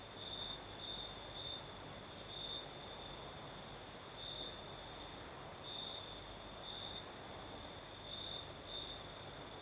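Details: Crickets sing on a Crimean night in the south as a night breeze blows, high steady trill with periodic brighter pulse groups every second or two, a fainter upper whine, and soft background hiss.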